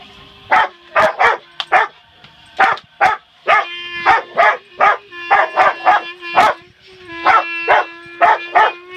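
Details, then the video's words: Rottweiler Bella, a household pet joined by Penny, vocalising along with a clarinet learner: rapid clusters of short, tonal yelping barks, several each second, above a steady held clarinet tone. "Rottie sings with Clarinet"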